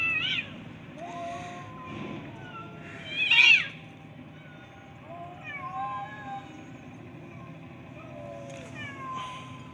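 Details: A crowd of street cats, black-and-white ones among them, is thrown several pieces of food at once. Their meows overlap, rising and falling, and a louder burst comes midway over a low background rumble.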